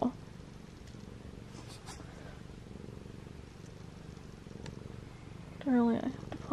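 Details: Domestic cat purring steadily while stepping on and kneading its owner's bladder; a continuous low, rumbling purr fills the recording, with a brief burst of a woman's speech near the end.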